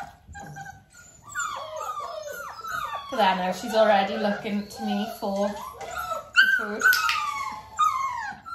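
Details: Dalmatian puppies close to six weeks old, indoors during clicker training beside their mother Arya: sliding, downward-bending whines come in quick succession, and a human voice is heard in the middle section.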